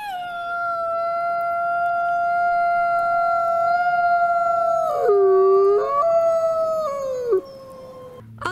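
A grey wolf gives a long, steady, mournful howl that dips lower, then climbs before fading.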